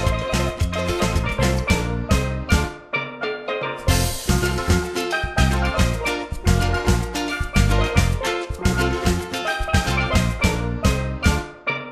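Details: Bright steelpan melody rings over a steady bass and drum beat for the whole stretch. No barking or other animal voice stands out above the music.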